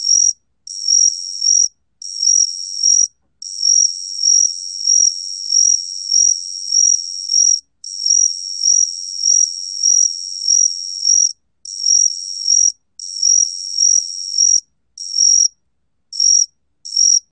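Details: A 각시귀뚜라미 cricket, recorded in Korea in 2020, sings a high, even, pulsing trill in long bursts broken by brief pauses.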